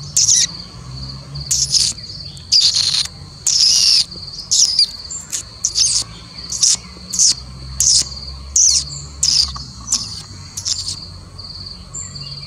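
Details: Three-striped palm squirrel giving a series of sharp, high, rasping chips, about a dozen spaced roughly a second apart and unevenly timed, against a constant shrill buzzing drone.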